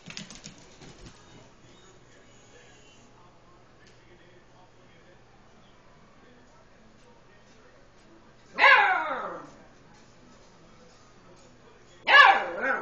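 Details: Lucy, an eight-week-old Beagle puppy scared of the household tom cat, lets out two separate high, falling barks several seconds apart after a faint rustle and a long quiet stretch.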